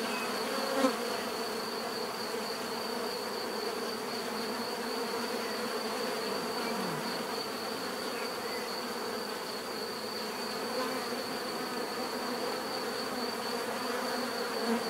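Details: Steady hum of a mass of bees, low droning buzz with a constant thin whine overhead; one brief louder pass of a single bee near the start.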